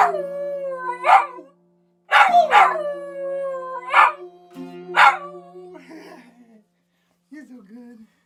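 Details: A pet dog howling in the morning, drawn-out wavering tones that slide downward, heard over strummed ukulele chords with short pauses between phrases.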